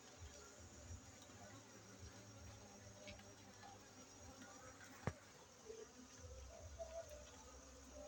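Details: Honey bees at a bee-keeping site in Bener Meriah, Aceh, during a honey harvest on 7 August 2023; a steady low droning hum with layered overtones, scattered faint clicks and one sharp tap near the middle.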